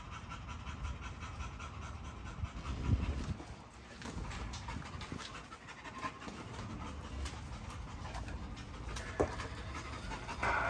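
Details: Panting from a Great Dane, rough and breathy, running irregularly over a low background rumble, with a few sharp knocks and a louder burst near the end.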